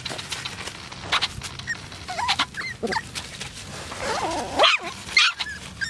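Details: AKC Poodles: wavering, rising and falling whines mixed with short high yips, strongest in the second half, over a steady low hum and scattered clicking.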